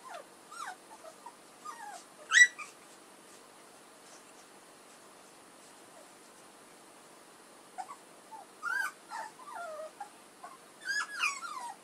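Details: Puppies of Edhel and Berry giving high, thin whimpers and squeaky yips in scattered bursts, several rising then falling sweeps, with quiet gaps between the groups of calls.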